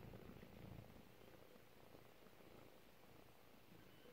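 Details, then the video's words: Four-week-old kitten purring softly; a low, continuous rumbling purr runs steadily throughout, quiet and close, with faint room hiss in the background. "OH THOSE LITTLE PURRS"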